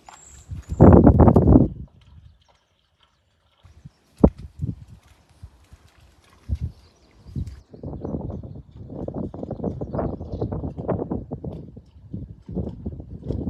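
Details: Moose calf in a Wyoming back yard, separated by a fence from its mother, calling to keep her close: one loud low grunting burst early on, a quiet pause, then a long run of softer rapid rough grunts and rustling.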